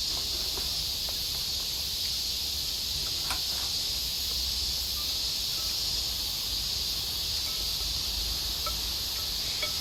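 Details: Many cicadas in a backyard in Japan fill the air with a steady, high, hissing drone that never breaks, on a cool, overcast day with rain threatening.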